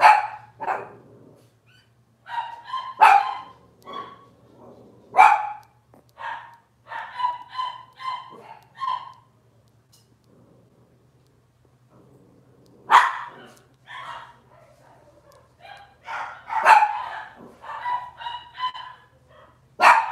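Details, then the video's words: Robin's Cavalier King Charles Spaniel puppies, filmed live in the kitchen, keep up twenty seconds of high-pitched yapping: sharp barks mixed with short whiny yips, a quieter stretch around ten seconds, then renewed overlapping calls, over a faint low hum. "Cavalier Puppy Live Stream: Robin's Puppies"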